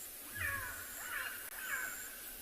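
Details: On an afternoon bushwalk in a South African game reserve (Ngala or Phinda) on 2 April 2021, a black-backed jackal gives quick runs of high, wavering yelps, rising then sliding down, calling about every 15 seconds. Something unknown seems to be upsetting it in the hot mid-afternoon.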